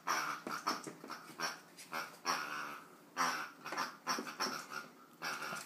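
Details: Marvin, an eight-week-old chocolate Labrador Retriever puppy, indoors mauling a toy pig; rapid breathy panting and snuffling bursts in uneven rhythm, with faint human voices.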